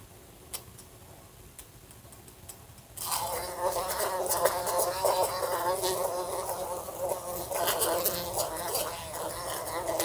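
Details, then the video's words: A fly in a room near a lamp: about three seconds of quiet with faint ticks, then a loud, wavering buzz that continues to the end, dotted with small tapping knocks from bumping the lamp. "A Fly Buzzing Sounds"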